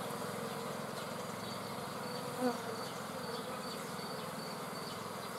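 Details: Steady, rich droning buzz of a honey bee swarm, many wingbeats blending into one low hum with a brief louder knock midway.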